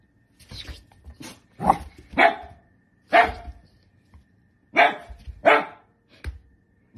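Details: Dachshund, a pet sausage dog, barking indoors in sharp broadband yaps, about six loud barks in seven seconds at irregular intervals, some in quick pairs, with faint room noise between.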